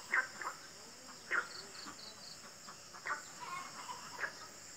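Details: Frogs give short, scratchy croaks at irregular intervals over a steady high insect hum, in the countryside on a morning after rain.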